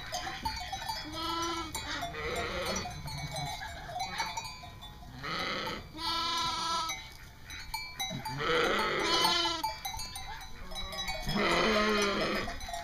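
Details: East Friesian dairy sheep at a North Carolina farm, including a ram and a three-week-old lamb: several wavering, quavering bleats of varying pitch, some higher and lamb-like, spaced a few seconds apart, with background music.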